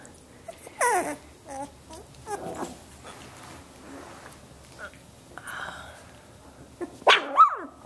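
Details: Samoyed puppies from Athena's litter, 17 days old, learning to play with each other indoors; a few short, high, wavering whimpers and squeaks come at irregular moments, with a woman talking softly in the background.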